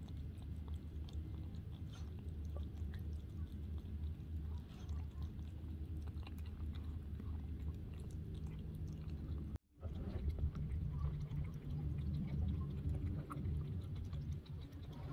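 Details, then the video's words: Murzbo, a pet cat, eating raw turkey cat food indoors: steady wet chewing and tongue slurping with soft clicks, briefly cut to silence midway, then the lapping and chewing resume. "Kitty Tongue 👅 Slurping Up Fresh Flesh"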